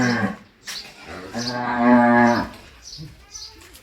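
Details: Large cows lowing: a long, steady, harmonic moo lasting over a second, preceded by shorter grunting calls, with people talking nearby in Bengali.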